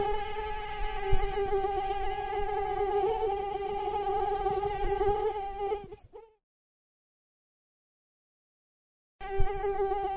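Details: Mosquito in flight, giving a steady, nasal whine with a low hum and a stack of fainter overtones for six seconds. It cuts to silence, then the same whine returns near the end.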